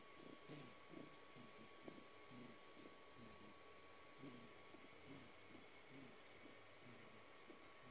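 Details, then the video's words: A male rescue cat, about 4.5–5 years old, purrs in low, rough pulses that rise and fall like snoring or snorting while asking for a belly rub, recorded March 2020. He only began purring in recent months. "Cat's Purr Sounds Like Snoring"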